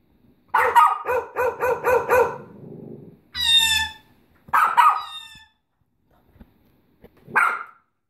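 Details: A Bichon Frise gives a quick run of six evenly spaced barks, then a high, strained whine-like yelp, followed by two separate single barks with silence between them.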